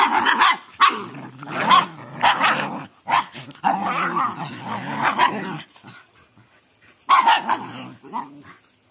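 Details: Dogs playing and training a puppy, rough-and-tumble: harmonic growling and barking bursts in rapid succession, with short gaps near six seconds before more growls resume.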